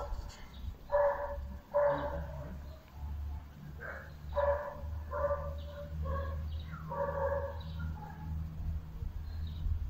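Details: Bull Terrier Layla gives spaced single and double barks, roughly one every second or two, over a constant low hum and some faint background voices.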